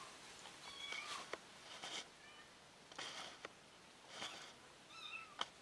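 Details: Lost kitten reunited with her family gives several short, high mews, some rising then falling, spaced about a second apart, with soft rustling thumps between.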